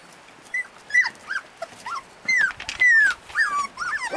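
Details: Husky puppies in Lapland giving scattered high whines and short yips, some sliding downward, separated by brief quiet gaps, several pups calling in turn.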